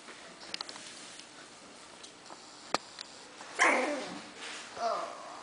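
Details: Five-week-old Havanese puppies, the litter of Teddy and Irie, indoors: a short high whimper rises then drops midway, followed by a softer whine, with faint clicks and a quiet human voice around them.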